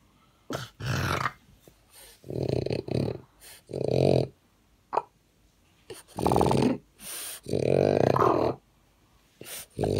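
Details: French bulldog with a common bulldog breathing condition, struggling to breathe; loud rasping, snorting breaths in irregular bursts of about half a second to a second, some harsh and growl-like, separated by short quiet gaps, indoors.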